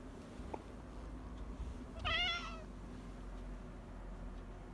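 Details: Female pet cat named Happy meowing in the morning: one clear, bright, slightly wavering meow about half a second long over a quiet, low indoor hum.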